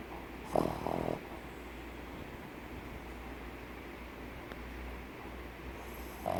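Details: Snoring pug, a flat-faced dog breed: a short rasping snore burst early on, then a long quiet stretch of low background hum before the next breath starts rumbling.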